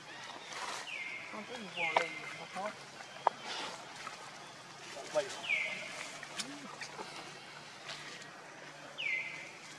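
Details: Monkeys: Luna runs very fast carrying Luno while Rainbow tries to take Luno away. High whistled calls slide sharply downward, heard four times at uneven intervals, between rustling, sharp thumps and soft lower chattering.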